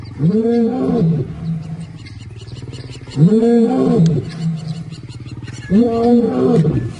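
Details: Roars from intruding lions challenging the resident male Simba on his turf: three deep, arching moans, each about a second long, repeated roughly every two and a half seconds, trailing into low grunting between them.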